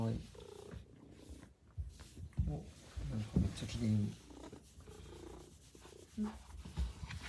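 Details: Maine Coon cats waiting at the front entrance to greet their owner arriving home. A low, rumbling purr runs beneath lively Japanese speech from a person, with soft thumps and rustles of the doorway.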